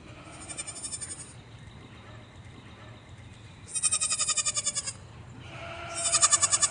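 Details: Baby goat living on a farm bleating in bursts: a faint pulsed cry early, then a loud rapid wavering bleat midway and another strong pulsed bleat at the close.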